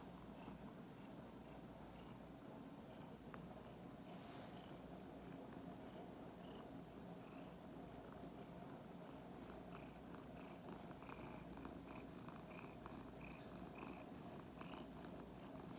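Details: Two-year-old male Norwegian Forest Cat mix, crossed with a Korean Shorthair, purring indoors, a soft continuous low rumble throughout, with faint scattered ticking and rustling sounds.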